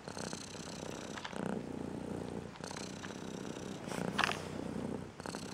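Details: Purring from a striped female house cat, described as angry because she dislikes a song sounding near her ear; continuous low throbbing purr with bursts of brighter tonal sound and soft knocks on top.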